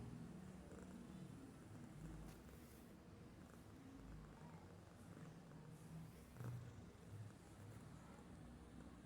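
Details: A domestic cat asleep, doing nothing, snores softly in a low, even rumble that swells slightly now and then, with occasional small taps and rustling sounds.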